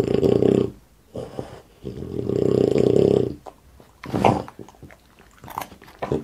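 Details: While eating in an ASMR mukbang, Boss the French Bulldog gives long, rumbling, growl-like grunts lasting about a second each, followed by sharper snorts and mouth clicks in a small indoor room.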